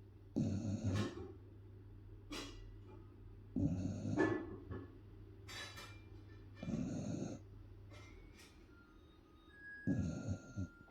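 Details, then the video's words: Cookie, a ten-month-old Beagle puppy, snoring while asleep: rough, throaty breaths in bursts about every three seconds, with a steady low hum and a few faint high tones in the background. "Cute Beagle Puppy snoring for 35 seconds"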